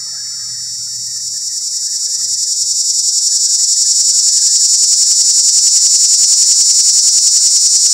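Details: Cicada giving its mating call from up in a pear tree, recorded while sneaking closer: a continuous high, shrill buzz with fast regular pulsing that swells steadily louder across the clip; faint low rumble early on.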